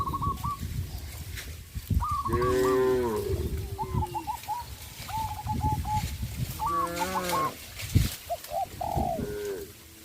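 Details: Tame cattle eating bamboo in a forest on a traditional village farm give drawn-out, rich moos lasting about a second, with birds calling faintly behind.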